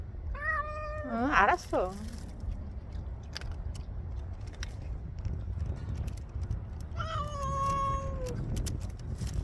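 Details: Stray cat eating kibble and meowing: a short wavering meow, then a quick descending bleat, and after a pause a long steady meow that sags at the end. Human voices talk nearby.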